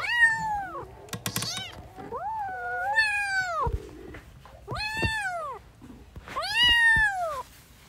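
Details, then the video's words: Meowing newborn kittens at play: four drawn-out, arching cries about every one and a half seconds, with sharp clicks and taps from handling or movement in between. "New born kittens are playing 😂🤣 | cute cats meowing"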